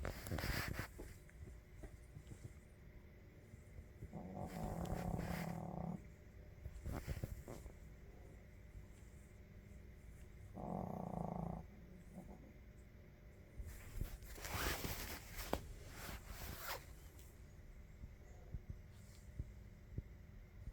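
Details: A sleeping puppy snoring: soft raspy bursts of breathy noise, a few seconds long, swelling and fading at irregular intervals over a low background hum.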